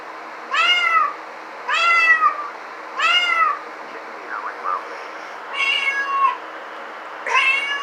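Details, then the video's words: Domestic cat meowing indoors: four loud, harmonic meows roughly a second apart, each arching down in pitch, with a few soft murmured chirps between them over a steady low hum. "Cat sound effect"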